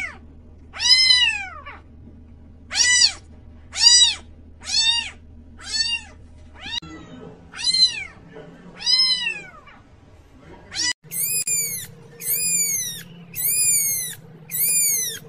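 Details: Domestic cat meowing repeatedly, a series of arched, harmonic-rich meows roughly every second, shifting to higher-pitched kitten-like meows near the end, over a low steady background hum.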